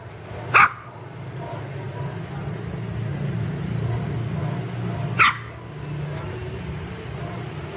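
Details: Pet puppies playing in a garden give two short sharp barks several seconds apart, over a steady low background hum.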